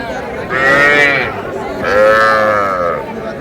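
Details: Small Sahiwal bull and heifer calves at a cattle market near Dhaka, Bangladesh: two drawn-out moos, the first short, the second longer and slightly rising then falling, with faint chatter behind.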